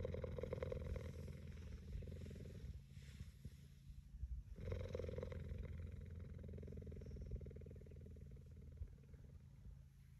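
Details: Cheetah resting its head on a man's knee like a pillow, purring in a continuous low rapid rumble that pauses briefly near three and four and a half seconds, then resumes steadily.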